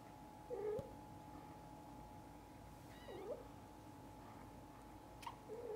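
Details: Mother cat with her kittens; soft, low meows spaced a few seconds apart, one with faint high overtones, over a steady hum in a quiet room.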